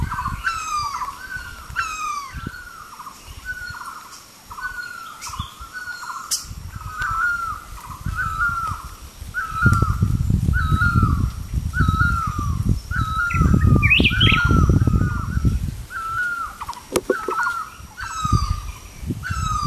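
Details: Kio's tree frog, found in the rainy season in tall trees, breeding in foam nests over temporary pools. A regular series of clear, slightly falling chirps continues throughout, with scattered higher notes and some low background rumble in the later half.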